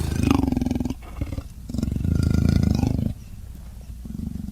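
A leopard gives deep, rasping, pulsing growls in several drawn-out bursts.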